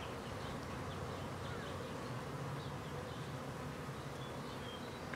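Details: Colony of honey bees on a house wall in Clintondale in New York's Hudson Valley, becoming active as the weather warms; continuous even humming of many bees, low and unbroken, with faint high twitters behind.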